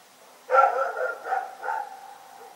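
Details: Rex, a dog, barking in the night: one strong bark trailing into two weaker, drawn-out follow-up barks within about a second and a half, tonal and mid-pitched.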